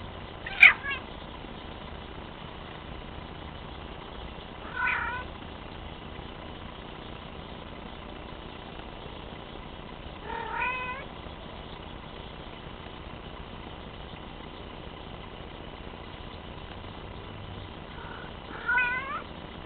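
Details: Bengal cat named Teddy, a young male, giving several drawn-out harmonic meows spaced a few seconds apart, some with a bending, wavering pitch, over a steady low background hum.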